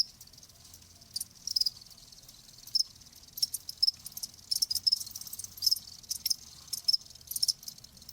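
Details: Crickets chirping in a nature soundscape: short, high, thin pulses come in uneven clusters over a faint low hum.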